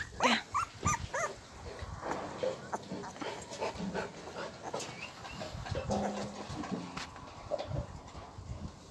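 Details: Husky puppy named Molly giving short, high, irregular whimpers and yips in quick bursts, some with clear tonal overtones, over steady rustling and handling noise.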